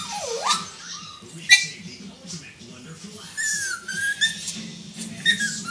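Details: Yorkipoo puppy put in timeout, whining and pouting to get attention: thin, high nasal whines that swoop down and then glide upward, drawn out and repeated, with a low indoor hum and a sharp knock.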